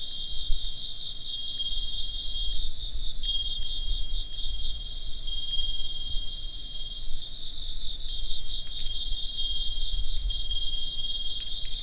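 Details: A constant high-pitched insect chorus, pulsing rapidly and without pause, joined by scattered clear tinkling strikes of a wind chime and a gentle low wind-like rumble that swells now and then.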